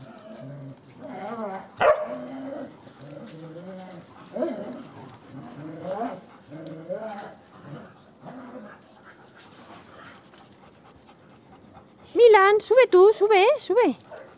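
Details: Large male shelter dog with people and other dogs; a run of wavering whines and yelps, then a louder burst of high, quivering howl-like whining near the end, with people talking in Spanish.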